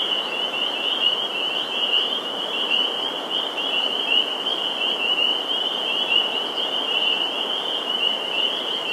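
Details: Full chorus of spring peepers at a vernal pool, Sudbury, Massachusetts, April 11, 2019, a loud, steady sheet of high, rapid, overlapping peeps that never pauses.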